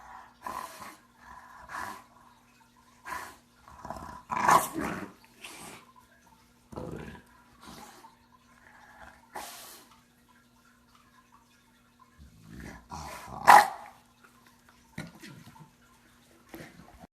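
An English Bulldog snores in its sleep, each breath a harsh, rattling snort. The noisy bursts come irregularly, every one to two seconds, with a faint steady hum beneath them.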